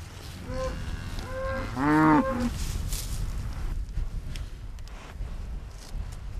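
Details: Holstein-Friesian dairy cattle in West-Friesland, one animal giving a single loud, rich, harmonic moo that lasts under a second, with a few fainter lowing notes just before it and a low rumbling background with scattered clatter afterwards.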